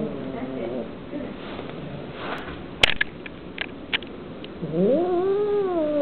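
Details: Kitten growling while eating meat, annoyed at being bothered: a low rumbling yowl, then a pause filled with clicks and rustling, and finally a loud drawn-out wail that rises and falls.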